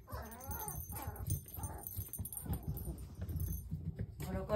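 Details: Puppy siblings playing energetically indoors; short whining whimpers with wavering pitch come in brief bursts, mixed with soft thuds and scuffling in a small room.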